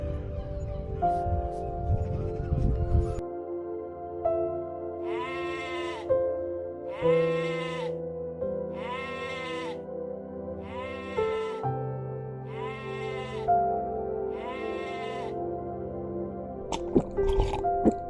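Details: Young goat giving a regular series of short, arched bleats about every one and a half seconds, each rising then falling, set against continuous soft music.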